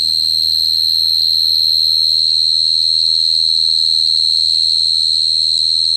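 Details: Continuous shrill cricket song, a level ringing trill without pauses, a thin upper overtone above it and a quiet low-pitched hum underneath.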